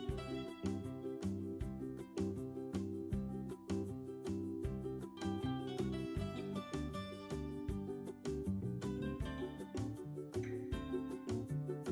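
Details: Strummed acoustic guitar music with rhythmic percussion and a bass line; no animal sound is heard.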